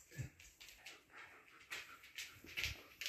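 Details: Siberian Huskies indoors, with the puppy Lucky pestering and biting the older dogs: a run of short, scratchy yips and whimpers, irregular, roughly two per second, with faint room noise.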